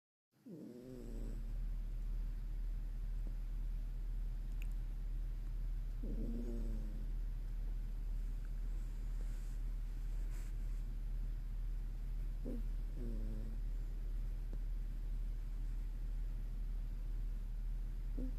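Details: Moko, a sleeping Toy Poodle, snoring: drawn-out raspy snores with a nasal, harmonic edge, spaced roughly five to six seconds apart, over a steady low hum.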